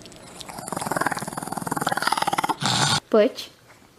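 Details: Chihuahua called Butch making a long throaty growl of rapid even pulses for over two seconds, followed by a short human voice near the end.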